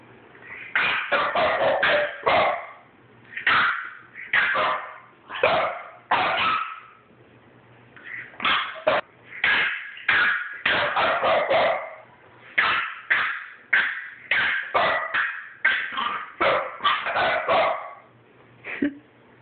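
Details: Two French Bulldogs, Bosco and nine-week-old puppy Cali, squabble in a playful disagreement: rapid bursts of high yappy barks and growly yips come in clusters with brief pauses, steady and loud for the whole stretch.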